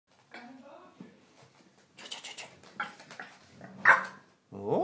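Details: A three-month-old French Bulldog puppy gives short, yappy territorial barks while defending his spot at the top of the stairs, with a person talking in between.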